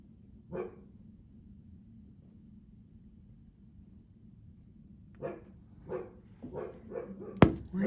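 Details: Juno the Siberian Husky, a rare barker, outside in cold windy weather: one bark, a long pause, then a run of five or six barks and a sharp knock near the end.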